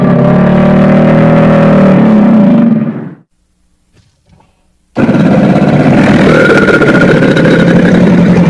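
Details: Crocodile giving a loud, deep, rumbling growl with a throbbing pulse, lasting nearly three seconds and then cut off sharply. After a silent gap, a second rough, pulsing rumble begins and runs to the end.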